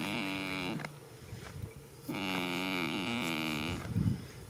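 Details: Goat snoring while asleep in a field at the start of spring: a short nasal groan, then a longer wavering buzzy snore, followed by a low soft thump near the end.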